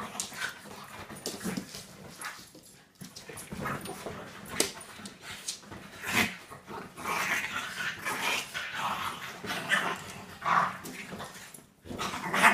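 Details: A female Staffordshire Bull Terrier gives rough, irregular growls, grunts and whines while playing with a French bulldog.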